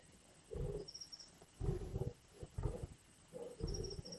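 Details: Lions growling over a kill in Indian bush: four gruff, low bursts separated by short silences, plus thin high chirping notes in the background.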